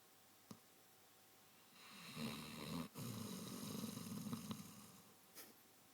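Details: Clive, a sleeping Basset Hound, snores indoors: one long, rasping, low rumbling breath lasting about three seconds, with a breathy hiss on top, set between short quiet stretches and a few faint clicks.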